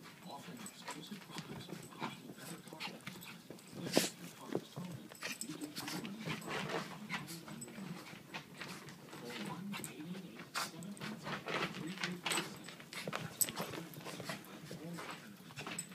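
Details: Truffles, a Maltese Shih Tzu, playing with her cousin Bella; two dogs at play give low, rumbling grumbles and short growly bursts over constant scuffling, clicking and snuffling, with a sharp thump near four seconds.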